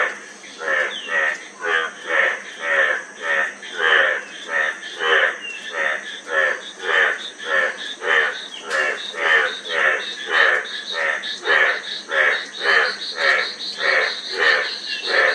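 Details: Rhythmic frog croaking, a long even series of rough, rattling notes, close to two per second without a break, set against a continuous thin high drone.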